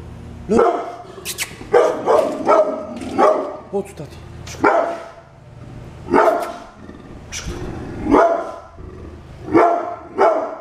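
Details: Brindle pit bull kept as a guard dog at home, barking in a run of about eight loud, harsh bursts at uneven intervals, some doubled, with background noise between them.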